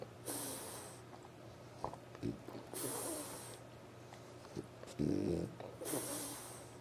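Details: A French Bulldog snores late at night in raspy, hissing breaths, each roughly two to three seconds apart.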